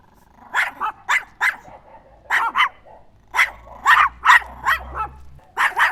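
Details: Chihuahua giving sharp, high yaps, first spaced singly then in faster runs of three, with a faint low hum in the background.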